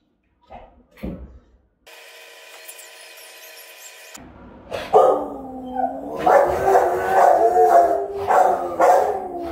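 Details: Rottweilers guarding a house, caught by a camera they keep sniffing. After quiet taps and a steady hum, loud, powerful dog vocalizing begins: harmonic, wavering howl-like barks rising and falling in quick bursts, about two per second.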